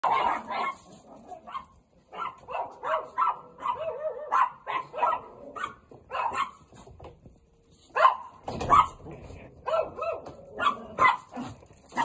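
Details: Chihuahua in a snowy garden after four inches of snow fell in two hours; repeated yapping barks and yelps over about twelve seconds, with a person talking in between.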